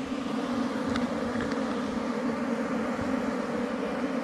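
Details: Honey bees humming at a wild hive under rocks during forest honey collection. An even, unbroken drone with a deep fundamental and a clear overtone fills the whole stretch, with no other distinct sounds.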